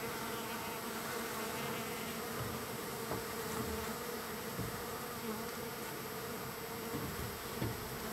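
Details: Wild bees being fed, day three, with many present. A rich, layered buzzing drone runs steadily, with individual bees flying past close as brief louder buzzes and a few light taps scattered through.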